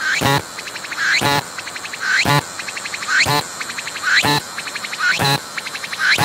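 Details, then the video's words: A cicada calling from a tree at very close range, transparent wings showing its pumping abdomen; regular phrases about every second, a ticking pulse train climbing into a buzzy sweep that ends in a loud rasping burst. "鳴いているセミに接近して撮影してみた！I approached the cicadas that were singing and took a picture!"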